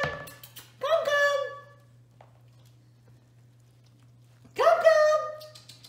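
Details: Five-week-old Toy Australian Shepherd puppies, one of a litter of six, playing indoors: two drawn-out, high harmonic whining yelps that bend and fade, separated by a few seconds of near silence with a low steady hum.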